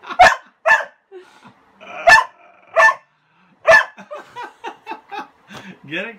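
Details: Frustrated pet dog Kasa, afraid of a broom covering his toy, lets out loud spaced barks, then a quick string of short yips and a rising whine at the end, inside a room.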